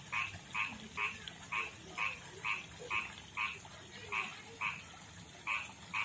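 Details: Rough-skinned male frog of a backyard pond and river, calling to attract a female; crisp, bright croaks repeated briskly, about thirteen in six seconds, clear over quiet background.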